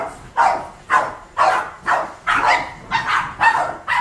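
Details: Seven pet Boston Terriers bark while their owner vacuums at home. Sharp, even barks come about twice a second, eight in four seconds, with little else around them.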